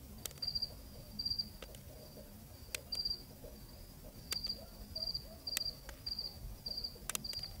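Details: Cricket chirping on a Zambian night, recorded in the field: repeated short trilled high chirps, irregularly spaced, with occasional loud clicks and quiet low-frequency rumble.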